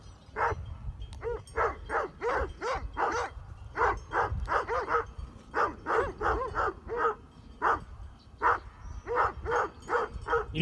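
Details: Near Heber, Utah, Great Pyrenees guarding sheep bark steadily at passing mountain bikers; loud, harsh barks come in uneven runs, a little over one per second, with wind noise beneath.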